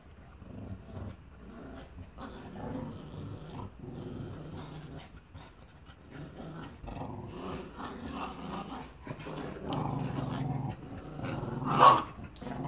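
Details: Two dogs playing in Salford, a rescued six-year-old Staffordshire Bull Terrier named Annie and Bear, a Border Terrier puppy, learning to socialise: low rumbling growls and grumbles throughout, with a sharper yelp near the end.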